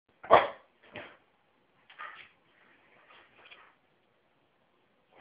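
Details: A pet dog barking indoors: one loud sharp bark, then softer barks spaced about a second apart with quiet gaps between, and a final bark starting at the end.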